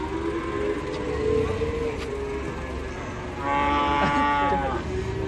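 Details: Cattle unloaded from a truck, a cow still refusing to rise before finally standing on its own. Two drawn-out moos, the second louder and richer in harmonics, over steady background noise and voices.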